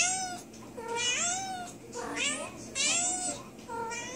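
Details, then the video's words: Recently spayed female cat in pain from an infection of her internal sutures, meowing to her owner; drawn-out, wavering, rising-then-falling meows, four in quick succession, each with a strained, bent pitch contour. "My cat trying to tell me she is in pain"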